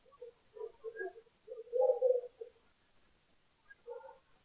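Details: A lesser bush baby visits the Allen Bird Cam feeder in South Africa on 20 June 2015 for yogurt, giving a run of low, short croaks that swell into a louder grumbling phrase, then pause before two more notes.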